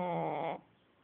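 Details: Dog asleep and snoring loudly: the end of a rasping, tonal snore held for about half a second, then cut to near silence.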